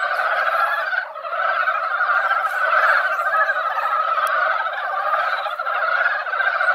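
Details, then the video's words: Mountain frogs singing together at a rural mountain pond after rain had just dampened the ground, during their annual breeding gathering. Rapid overlapping croaks form a loud, even chorus that dips briefly near the start. "산개구리 노래"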